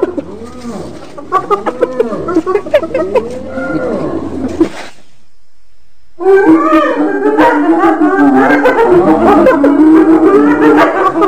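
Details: Hyena voices: soft arching, rising-and-falling moans over a low hum, a gap of silence, then a loud burst of overlapping cackles and chatter.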